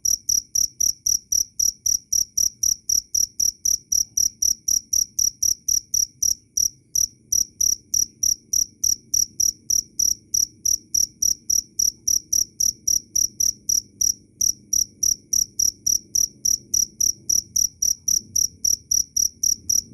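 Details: Cricket chirping loud and clear in a long unbroken train of high, ringing pulses near four per second, with a faint low murmur in the background.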